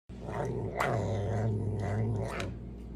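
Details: Serval giving a rough, low growling roar with a steady droning tone under raspy, noisy bursts, lasting nearly three seconds.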